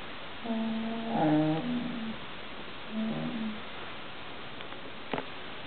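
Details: Female English Bull Terrier complaining indoors, begging for a piece of cheese pie from the table: two drawn-out nasal whining moans, the first about a second and a half long, then a shorter one, with a faint click near the end.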